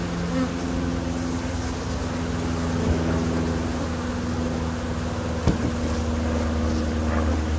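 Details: Steady massed buzzing from a keeper's own honey bees, with several low humming tones from passing bees and a brief sharp tap about two-thirds through. A faint engine-like rumble underlies it.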